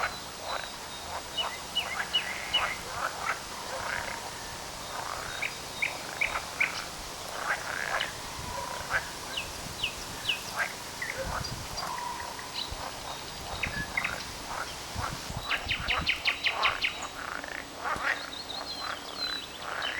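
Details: Frogs calling on 18 May 2010; many brief, sharp croaks and clicking trains overlap at a fast, uneven pace, with a stretch of rapid pulsed rattles toward the end.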